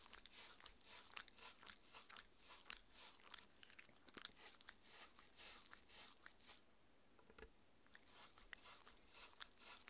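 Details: A six-year-old female Shetland Sheepdog named Mindy chews raw beef; rapid irregular crunches and smacks run steadily, then fade briefly near seven seconds before the biting resumes.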